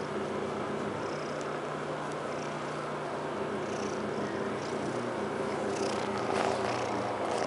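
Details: Quinn, a Domestic Shorthair cat available for adoption, recorded 2 August 2012: a steady low purr, pulsing about three to four times per second, runs under a constant broadband hiss.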